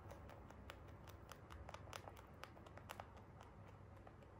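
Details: Crisp hay crunching from free-roam Holland Lop pet rabbits at feeding, bursts of bright crackling bites coming quickly and irregularly, close to the microphone, over a quiet indoor hum.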